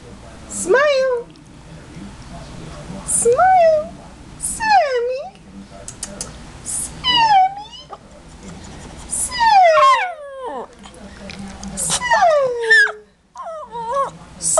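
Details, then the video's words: Shih Tzu complaining about smiling and a bath: a series of short, high, bending whines and yelps that rise then drop, coming roughly every one to two seconds with brief pauses between bursts. "Shih Tzu complains about smiling & bath"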